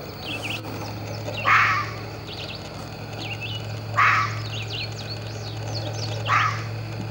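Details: Fox giving three short, hoarse barks spaced roughly two and a half seconds apart, with small birds twittering and chirping throughout and a low steady hum underneath.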